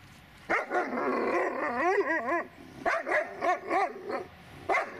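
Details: Dobermann named Magmar Von Der Burgstätte giving a run of loud, high yelping barks with wavering pitch, several in quick succession over a few seconds, then a final sharp bark after a brief pause.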